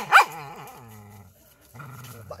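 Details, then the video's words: Injured dog with a hurt rear, one sharp yelp followed by a drawn-out wavering whine with strong harmonics, a short pause, then a lower steady whimper, indoors. "OMG dog injury Butt"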